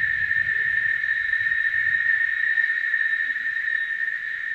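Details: Chicharras, cicadas, in full song: a dense, constant shrill drone holding steady throughout, with low rumbling noise faintly beneath.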